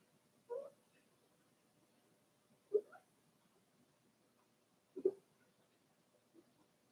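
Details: Daisy's Cavalier King Charles Spaniel puppies, four weeks old, in an indoor pen: three brief whimpering squeaks about two seconds apart, each a quick double-pulsed yelp, then a fainter one; otherwise quiet.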